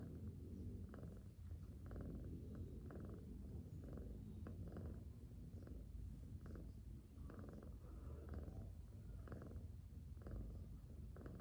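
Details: A cat asleep purrs gently, a continuous deep rumble rising and falling with its breaths roughly every second, soft and regular over the whole stretch with no other sounds.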